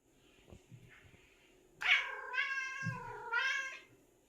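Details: Seven-year-old pet cat making a strange sound while hunting indoors: one long, wavering, harmonic-rich meow lasting about two seconds, dipping then rising, after soft low thumps; quiet room.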